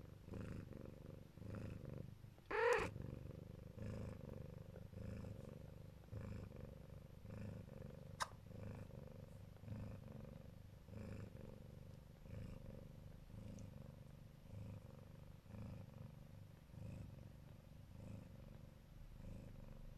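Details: Siberian (Neva Masquerade) mother cat lying with her kittens, protective and affectionate, purring in a low continuous rumble that swells and fades in soft pulses; one brief higher sound breaks through near the start.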